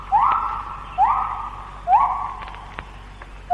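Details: White-handed gibbon morning song in the Malaysian rainforest, recorded late 1950s to early 1960s: a quick upward swoop into a long, steady hooting note, repeated about once a second, with faint forest hum.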